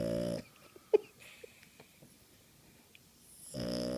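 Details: A sleeping Boston Terrier, curled on a blanket, snores in two rasping, buzzy breaths with a quiet pause between them.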